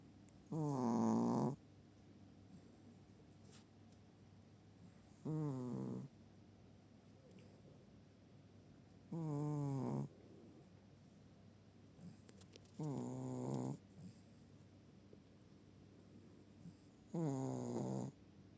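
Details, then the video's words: A Chihuahua asleep and snoring steadily, five tonal, wheezy snores arriving roughly every four seconds, each lasting about a second, against a hushed indoor background. "Чихуахуа = храпуны"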